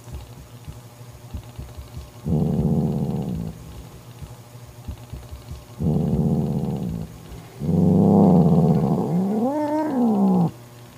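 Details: Angry mother cat Mocha drives her jealous sister Kofi away from her kitten: three low growls in succession, the last rising into a wavering, higher screaming wail before stopping abruptly.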